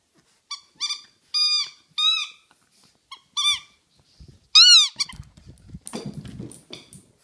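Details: French Bulldog puppy of about four months playing indoors at home: a series of short, high, arched squeaky whines with bright overtones, in quick bursts of four to six, then soft rustling and low thumps.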